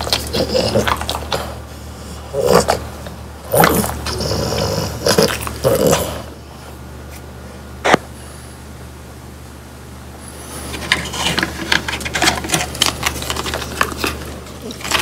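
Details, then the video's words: Three French Bulldogs eating whole quail that was dried until crispy, bones included, indoors; sharp crackling crunches in bursts for six seconds, a quiet pause with one loud snap, then renewed rapid crunching. "강아지 먹방 ASMR 통메추리를 건조시켜 바삭하게 먹어봤어요"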